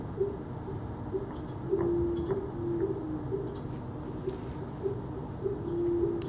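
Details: Blue whale song recorded acoustically off the New York and New Jersey coast, normally infrasonic, played about 20 times faster: low hooting tonal notes every half second over a rumbling background, with pulsing fin whales nearby.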